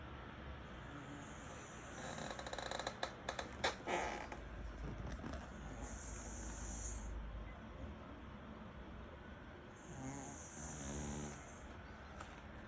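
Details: Dudu, a small pet dog tagged as a Maltese–Shih Tzu mix, asleep and snoring softly in the evening; quick rough breathy snores repeat several times a second, with a thin steady high whine appearing twice in the background.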